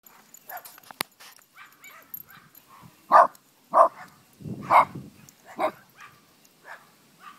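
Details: Chihuahua puppy playing outside with its big sisters, giving four sharp yipping barks spaced about half a second to a second apart, with soft rustling and small scuffling noises between them.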